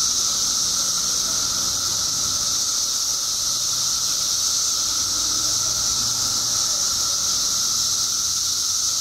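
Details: Illinois periodical cicadas, newly emerged by the billions after 17 years underground, produce a relentless, steady shrilling chorus with an underlying whining drone and faint low background rumble.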